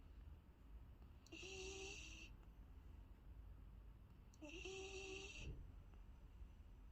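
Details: Sleeping Golden Retriever puppy Trixie, three months old, snores with a soft nasal whistle on each breath. Two drawn-out wheezing sounds arrive roughly three seconds apart against a quiet, low rumbling room background.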